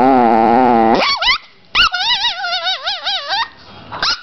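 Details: A Chihuahua in an angry mood gives a sustained, steady growling whine. It then breaks into quick yips and warbling, up-and-down snarls, followed by a short silence and one last yelp.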